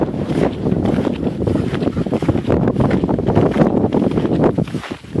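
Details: Wind buffets the microphone steadily on a snowy outing with several dogs, with a low rumbling roar and faint crunching, and no animal calls are heard.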